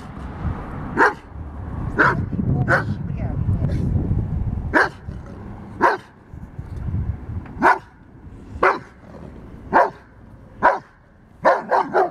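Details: Giant Schnauzer puppy barking while attacking a metal moose: loud single barks spaced roughly a second apart, ending in a quick cluster of three, over a low rumbling noise.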